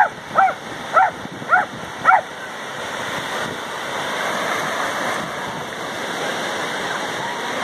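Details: Golden retriever and a dachshund friend playing in the ocean at Lima, Peru; four short sharp barks about half a second apart open the clip, then steady rushing surf and water noise fill the rest.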